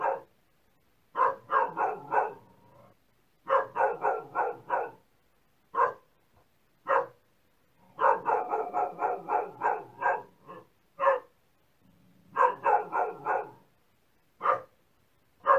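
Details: Repeated dog barking, with bursts of rapid barks alternating with single barks and short silences, and no other noise.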